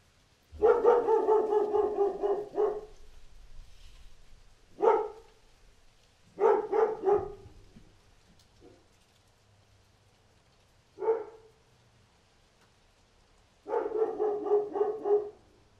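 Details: Barking dog outdoors: a long rough volley of barks lasting over two seconds, then scattered single barks and a pair, ending with another sustained volley; faint low hum underneath.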